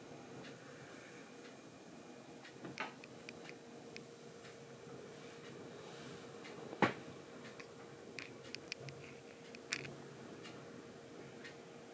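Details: A quiet indoor room with a steady low hum and scattered soft clicks and taps, with no animal calls.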